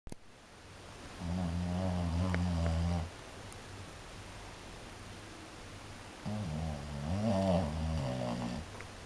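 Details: A French Bulldog snores in deep, rumbling breaths, each lasting about two seconds, while its eyes stay open.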